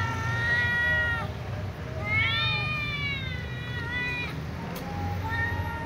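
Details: Little ginger cat and young white cat meowing loudly, asking to be fed among other cats; several long, clear harmonic meows, rising then falling, about one every two seconds, with a brief click near the end.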